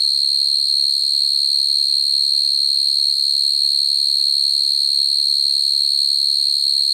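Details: Field cricket chirping to call females, a sound used to lure crickets into traps: a loud, steady high-pitched trill running throughout without pause, with faint low murmurs beneath.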